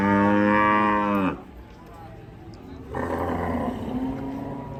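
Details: A raging cow lets out a loud, rich, harmonic moo that cuts off abruptly after about a second; a quieter pause follows, then a second, softer and noisier bellow.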